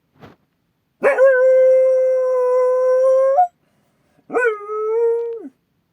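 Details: Akita guard dog howling in alert at a strange noise outside: a brief click, then a long, steady, tonal howl lasting over two seconds, followed after a pause by a shorter howl that sags slightly in pitch at the end.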